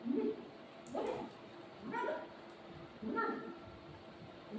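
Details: Pet dogs at home being offered rasgulla sweets: four short yips and whimpering barks about one second apart, with a woman speaking softly in between.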